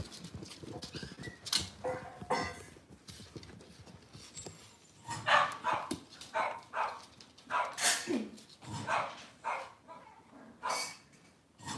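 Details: Cavalier King Charles Spaniel in a home kitchen on a cloudy Monday morning, among moms, puppies and dads; a string of short, sharp bursts, irregularly spaced and varying in loudness, with a steady low room hum underneath.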